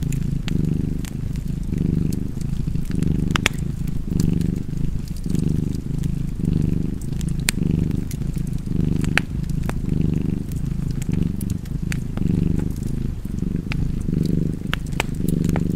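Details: Continuous throaty purring from a cat, its breath-by-breath pulses gently blurred, accompanied by a lively fireplace with sharp crackles and occasional louder pops.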